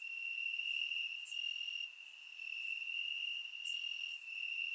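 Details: Crickets chirping in grass on a warm summer night in Bulgaria, recorded with a surround microphone; a steady high-pitched trill runs almost unbroken, dipping briefly near the two-second mark, with faint higher ticks above.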